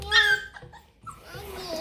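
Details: Hungry young Bluetick Coonhound puppies, one of them female, holler in the morning for breakfast with drawn-out, slightly falling, high-pitched cries.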